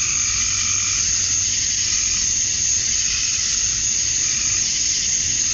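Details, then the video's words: On a summer night at dusk in Georgia, USA, male cicadas sing for females, a thick high buzzing drone layered with fainter undulating tones, steady from start to finish. "Cicadas at Dusk, Summer Night"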